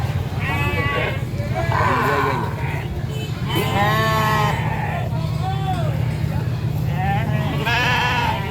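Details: Several sheep being taken to market by a farmer, bleating in wavering, quavering cries over a steady low rumble.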